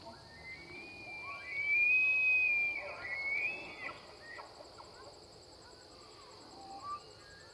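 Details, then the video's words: Free-range bull elk bugling during the September rut at the Elk Viewing Area, Charles M Russell National Wildlife Refuge, along the Missouri River in Montana. A loud, high, rising whistle holds for about two seconds, then breaks into a shorter second note over steady insect buzzing. "Giant Bull Elk Bugling in Montana"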